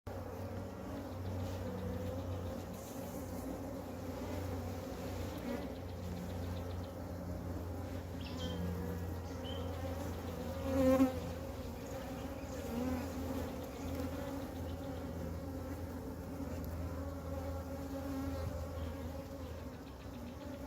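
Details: A huge swarm of Western honey bees (Apis mellifera) gathered on the ground, where the queen was unable to fly and the bees joined her, gives a dense, steady drone of many bees humming together.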